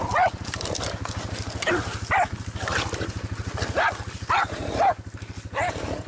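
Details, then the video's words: Jack Russell Terrier out boar hunting, giving about seven sharp, high yelping barks in quick bursts, some paired, over a steady low engine rumble. "Jack Russell boar hunting"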